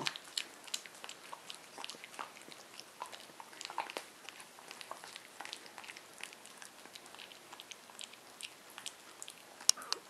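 A corgi puppy chews its food, making quick crunchy clicks and smacking sounds indoors.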